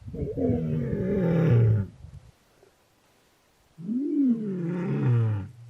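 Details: A young male lion just over two years old, searching for his two sisters, gives two deep, drawn-out, resonant roars with a falling, moaning tone on a winter morning around sunrise in Welgevonden Game Reserve, Waterberg.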